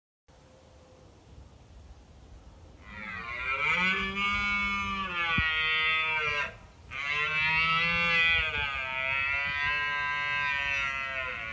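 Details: Red deer stag roaring in Bushy Park during the rutting season to deter rivals: after a quiet start, a long, loud, harmonic-rich bellow holds for about three seconds, breaks briefly, then resumes strongly for several more seconds.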